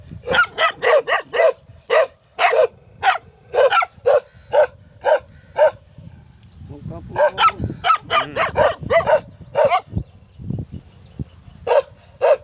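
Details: A dog barks in a rapid, fairly steady series of about two barks per second. A low murmur and scuffling fill a short pause before the barking resumes.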